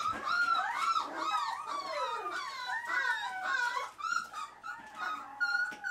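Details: A Dachshund mother with her litter born 9/12/12 gives high, wavering whines and yelps that rise and fall in quick succession.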